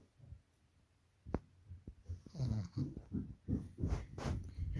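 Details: Sleeping pug snoring: after a quiet start and a sharp click, a run of rough, wheezy snorting breaths repeats quickly, about every half second, growing louder toward the end.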